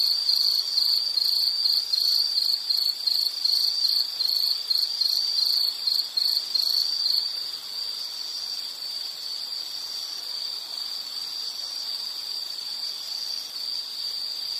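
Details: An insect calls in a high, rapidly pulsed trill for the first seven seconds, then softens into a fainter continuous high hum, played as a relaxing nature soundscape.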